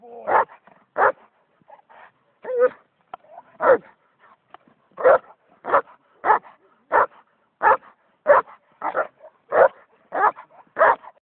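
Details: Tyson, a purebred German Shepherd sire of old East/West German working lines, barks in a steady series of about fifteen full, resonant barks, one roughly every two-thirds of a second, against a quiet background.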